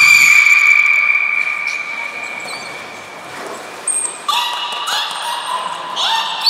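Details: Beluga training with Niko and Mirai at Port of Nagoya Public Aquarium, 29 February 2020: a high, sustained tone lasts for several seconds, then gives way to short harmonic whistles that sweep upward and are set apart by brief pauses.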